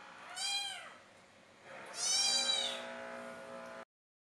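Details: British Shorthair kittens eating wet food for the first time; two high, bright meows, a short one followed by a longer drawn-out one, over a steady low background hum.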